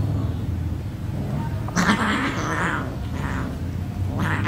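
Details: Domestic cats fighting on a bed indoors: a few harsh, raspy bursts of yowling and hissing, the loudest near the middle, over a strong constant low hum.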